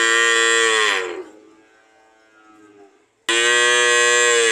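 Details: Cow mooing: a loud harmonic moo cut off after about a second, a quiet stretch with a faint low tone, then another loud moo starting abruptly near the end.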